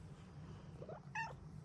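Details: A happy female Bengal cat gives one short, bright morning meow with a rising then falling tone, preceded by a soft murmur, over a steady low hum indoors.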